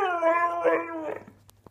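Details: Grumpy pet husky vocalizing in reply to sneezing: a short, sustained moaning howl sliding gently downward, fading into faint rough grumbles, with a couple of small clicks at the end.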